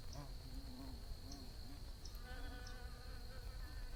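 Bees buzzing, a low droning hum that rises and falls in pitch as they fly past.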